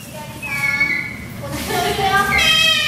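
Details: Two baby clawless otters in an aquarium enclosure give high, thin squeaks and wavering whistled squeals in overlapping bursts, busier toward the end, over a low indoor hum, while a keeper cleans the air-conditioner filter.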